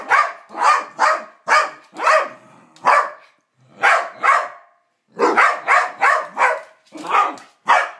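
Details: Two dogs, Psyche and Harvey, playing with each other and making strange noises, Psyche in a strange mood; short sharp barks and yips in bursts, roughly one every second, with brief pauses between clusters.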